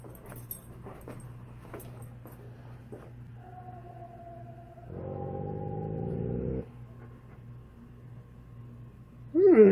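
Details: Alaskan Malamute Tonka responding to a played Bigfoot recording from Tennessee: a drawn-out thin whine, then a louder, fuller sustained howl-like note lasting about two seconds, then a brief sharp sound at the end, over a low room hum.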